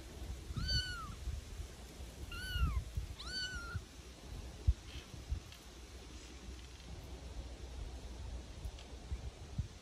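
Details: Litter of Bengal kittens at Migaloo playing in a back garden, getting used to different noises and stimuli. Three short, high, arching meows come within the first four seconds, then only low rumbling background noise and faint knocks.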